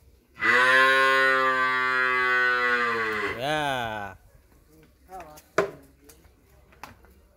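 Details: A Friesian heifer calf, for sale in Pabna, Bangladesh, lets out one long harmonic moo of about three seconds that wavers and bends at its end, followed by soft knocks and rustling.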